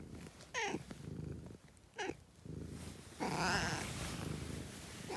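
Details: A cat gives three meows, two short downward-sliding ones and a longer, louder drawn-out one, over a continuous low purr, with a brief start of another meow at the end.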